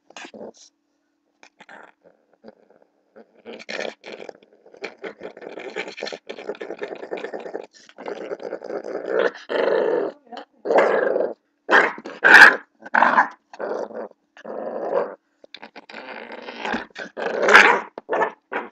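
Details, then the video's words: Blue pit bull puppy growling while play-fighting with a person indoors, a long run of rough, throaty growls in uneven bursts that grow louder and denser after about eight seconds, with short gaps and sharper snarling peaks. "blue pitbull puppy fighting with me"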